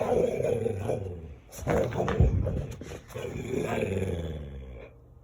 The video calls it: Playful Dalmatian Dog — makes gremlin sounds!